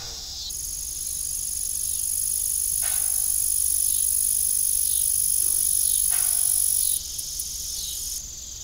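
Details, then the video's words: Evening crickets at an old farm, a piercing high steady chirring that swells and then drops, with two soft creaks from the rusty windmill. "Evening Cricket Sound"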